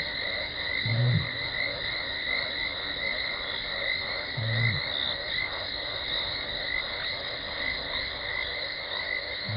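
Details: Contact calling by lioness Talamati before she runs in to the Gowrie dam waterhole, Djuma Game Reserve, South Africa, 17 December 2020: low, rounded grunting moans spaced about three and a half seconds apart against a continuous high-pitched night chorus.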